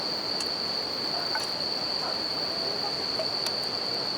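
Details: Steady high ringing from bell crickets by a campfire and river, carried over the broad hiss of flowing water, with a few faint fire pops and clicks.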